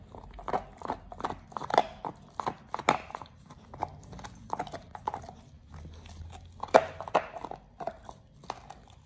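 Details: Oliang, a Pit Bull, gnawing a raw ostrich paw for the first time as a raw-fed snack for teeth polishing and jaw exercise: dense crunching and wet cracking bites, irregular but steady throughout, with low background rumble.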